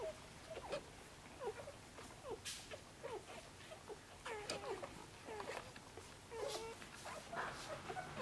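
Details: Djip's Korthals Griffon puppies, six days old, stirring in the nest and pushing under the mother to nurse: brief downward-curving squeaks recur every second or so, mixed with soft thumps and rustling.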